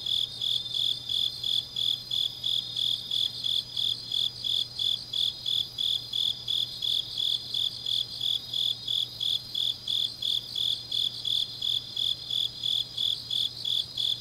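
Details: Grass insects calling through a deep autumn night at Changnyeong, South Gyeongsang Province, Korea: continuous high, ringing chirps pulsed steadily about three times a second, several callers overlapping, low electrical-like hum faintly present.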